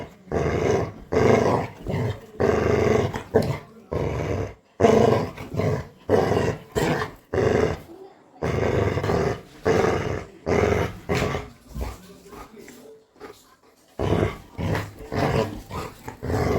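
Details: A pet Labrador Retriever growls playfully at its owner, said to be scaring people: a run of rough, throaty growl bursts, each about a second long, separated by short gaps, with a woman's voice speaking and laughing over them.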